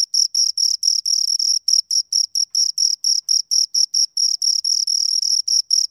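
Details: Two crickets producing shrill, metallic chirps in quick succession, pulses of slightly uneven length repeated several times a second, clean and isolated without other noise.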